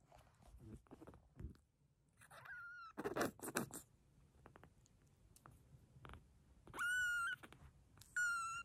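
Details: Frail rescued silver tabby kitten in Tokyo foster care, refusing to eat, crying in long, flat, piercing high notes, two near the end held about half a second each, after scattered taps and rustling.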